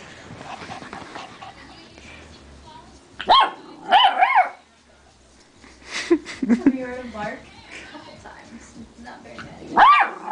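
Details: Yorkshire terrier mix dog meeting another dog for the first time, giving a few sharp, high yapping barks in short bursts between stretches of people talking throughout.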